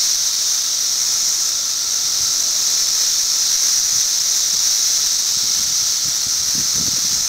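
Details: Periodical cicadas, filmed in 2008 for a movement study, fill the air with a steady, high, hissing drone that never breaks.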